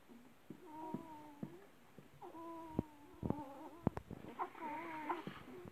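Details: Great Dane litter scene with December, mother of 11 puppies: soft drawn-out whimpers with flat harmonic tones, a few sharp clicks and thumps between them, low background hum throughout.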